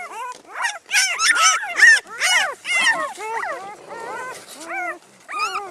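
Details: Newborn Great Pyredane puppies, a Great Dane and guardian-dog cross, from a spring 2016 litter: a chorus of high, arching squeals and whines, several pups overlapping in rapid bursts, with brief human speech nearby.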